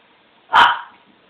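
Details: A dog being teased lets out one abrupt, forceful bark that fades quickly, against faint background hiss.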